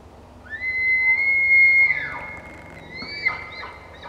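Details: A bull elk bugles in the background, a high pure whistle that climbs, holds, then drops away, while a cow elk nurses her calf.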